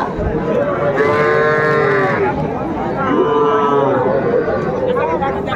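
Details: Small Sahiwal bull calves being sold at a cattle market in Dhaka, Bangladesh, 11 February 2025: two prominent drawn-out moos, each about a second long, over other calves calling and faint crowd noise.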